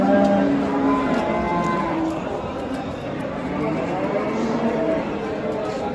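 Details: Simmental heifer bought at a livestock market, loaded onto a truck to be taken home; low, harmonic moos in the first two seconds, then a steady murmur of voices and handling noise around the animal.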